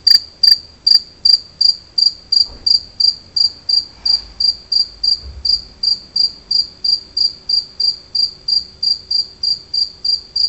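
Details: Two-spotted cricket song (Gryllus bimaculatus): a continuous train of bright, high chirps about three per second, louder at the start and slightly softer later, with a faint thump and soft rustling in the background.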